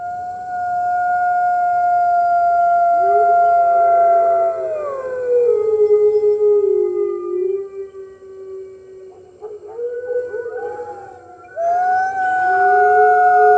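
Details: Early-morning howls from red wolves joining the rest of the wolves at the NY Wolf Conservation Center, March 15, 2013, recorded by webcam: long, steady howls that bend downward, overlapping voices, a lull, then a renewed chorus.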